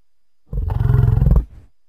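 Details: An American bison (Bison bison) gives one deep, rumbling bellow lasting about a second.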